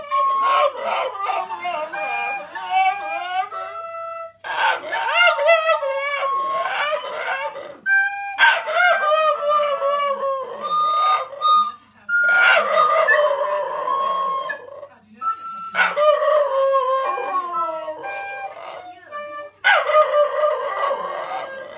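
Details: A two-year-old brindle Cairn Terrier sings along with a recorder in long, wavering howls that slide up and down in pitch, while a person speaks briefly between phrases.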